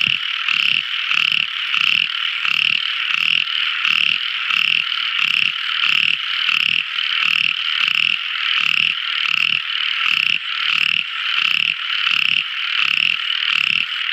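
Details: A tiny frog calls at night in a steady series of bright, buzzy notes, roughly three every second.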